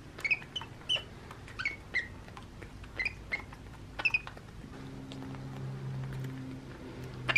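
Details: Baby monkey named Happy, male, playing in his playroom and having a bottle, very vocal: a series of short high squeaky chirps roughly every second, each sharply rising and falling, then a low steady hum joins in the background.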